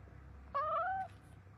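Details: A single clear meow from a cat, half a second long, tonal and slightly rising before fading, over a low background hum.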